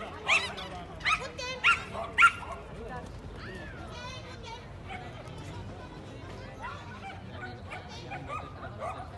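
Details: Bertha, a Welsh terrier, barks on an agility course in Barcelona, 08/02/20: four sharp barks in the first two and a half seconds, then murmured human voices and background hum.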